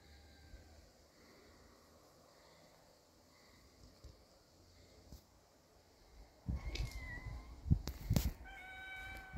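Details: Kitten facing an adult cat: after a long stretch of low rumbling background, a short meow rises and falls, then sharp clatter and knocks, with a final harmonic meow near the end.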